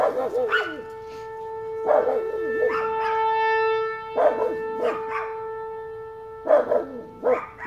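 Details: An old pet Chihuahua, female, howling at a siren for the first time: wavering, harmonic-rich yelping howls in short bursts every second or so, set over a steady, sustained tonal hum that runs through the whole recording.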